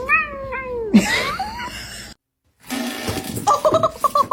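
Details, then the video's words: A kitten gives a pair of meows, the first sliding downward and the second shorter and rising then falling. Noisy handling sounds follow, then a short gap, then music and voices. "kitten meowing call"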